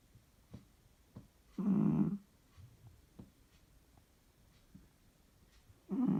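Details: Sleeping domestic cat snoring very loudly indoors: two harsh, rasping breaths about four seconds apart, with faint soft clicks and rustles in the quiet room between them.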